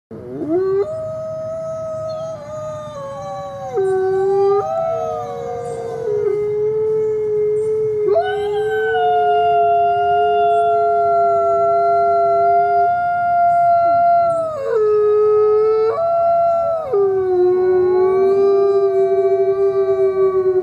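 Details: Coyote howling: several long, sustained, overlapping howls that step between pitch levels and rise and fall, with a constant low rumble of background noise throughout.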